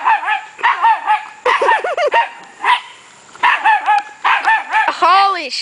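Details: Puppy giving short high yaps in small clusters, one stretch of wavering whiny yelps, then a rising-falling squeal at the end; a faint steady high tone lies behind.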